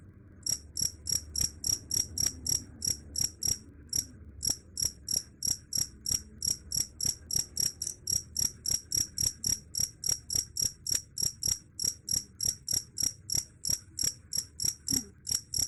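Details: A cricket keeps up shrill, ringing chirps about three to four per second, with brief pauses near two and four seconds; the chirping is claimed to scare off rats. Soft low rumble in the background.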